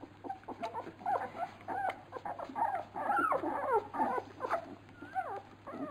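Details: Labrador Retriever puppies whimpering while being fed, a litter called piranha pups; dense overlapping squeaks and wavering whines, some bending up and down in pitch, with an occasional low grumble and a constant background hum.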